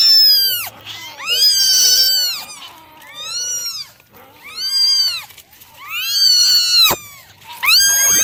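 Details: Nine kittens meow over and over during a morning drying routine, giving high thin cries that rise and fall in quick succession.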